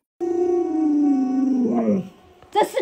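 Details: Alaskan Malamute Luoluo, a pet dog, vocalising while its owner pretends to stew a puppy: one long, smooth, tonal howl that slowly slides lower over almost two seconds, ending in a wavering break, then a short sharp sound.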